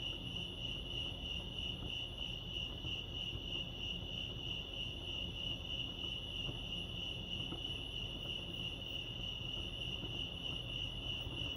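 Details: At Lake Arrowhead, California, crickets keep up a constant high-pitched pulsing chirp with a faint higher overtone, unbroken from start to end, with a low background hum beneath.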